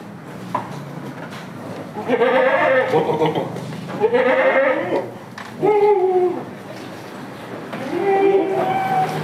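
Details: On a village farm with Damascus and Jamunapari goats, four quavering bleats come in a loose series, the later ones shorter and higher, amid chatter and clatter from the barn.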